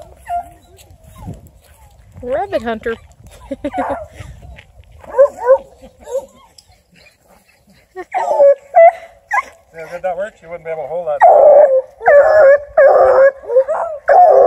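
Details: Female Bluetick Coonhound named River Styx Indigo, UKC registered, ten months old and raised in the house, gives bursts of harmonic baying yelps, sparse early and then loud and rapid toward the end, with talking mixed in.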